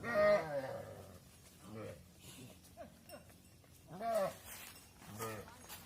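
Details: Mother cows entering a barn while their calves stay outside, several harmonic moos and bellows rising and falling, with quieter calls between, some overlapping with faint voices.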